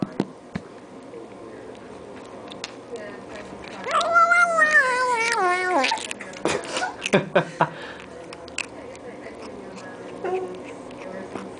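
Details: A single drawn-out, wavering squeal comes from eight-week-old kitten Allan while he eats treats. It slides downward over about two seconds, surrounded by quiet speech and small clicks.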